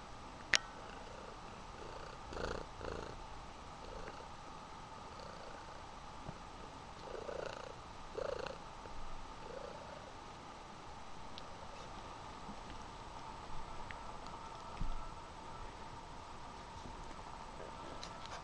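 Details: Mother cat hugging her kitten, purring softly and continuously throughout, with a steady low rumble, a few faint rustles and light handling noises, in a quiet indoor setting.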